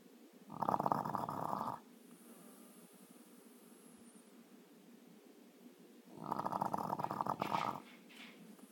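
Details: Male French Bulldog snoring with his bone in his mouth, recorded on a new iPhone; two rough, rasping snores, each about a second long, come roughly five seconds apart over quiet background hiss.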